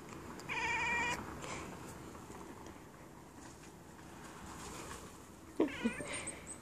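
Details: Siamese cat chattering while watching birds, giving a short, quavering burst of harmonic chatter near the start, followed by several seconds of quiet room noise and a few soft knocks and clicks toward the end.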